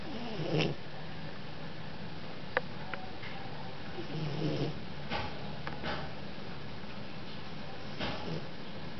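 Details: Chinese Shar Pei asleep and snoring: soft, low rumbling breaths rising into a few louder rasping snores about every four seconds over a steady quiet hum.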